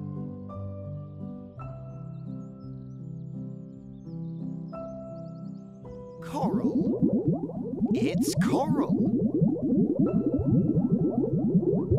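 Steady electronic music tones give way to busy layered voice-like sounds with music continuing, and no animal call stands out.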